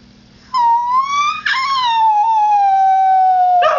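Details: Howling male Husky mix: one sustained, slightly wavering tone that briefly climbs, breaks with a short yelp, then glides gently lower for over two seconds before a final rough yip.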